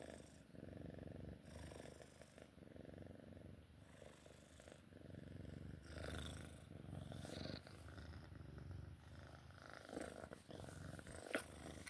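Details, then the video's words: Purring Sphynx cat at play time: a continuous low, throbbing rumble with rapid even pulses, interrupted by soft rustling and handling noises. "Sphynx cat play time purring"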